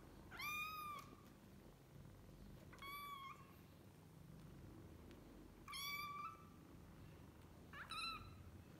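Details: Kittens with their mother cat at home give four clear, high meows. Each meow rises and then falls, with pauses of one to three seconds between them, in a quiet indoor room.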